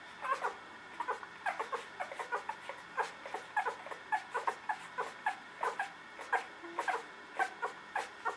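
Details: Newborn puppies whimpering, a dense run of brief high squeaks and whines repeating roughly every few tenths of a second, several pups calling together indoors.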